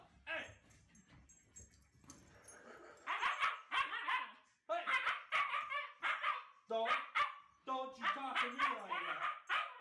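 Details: Husky at home, vocalizing expressively. Soft, low murmurs give way to a rapid series of wavering, whiny howls and yodel-like cries, some rising and falling in pitch, tightly packed with brief breaks.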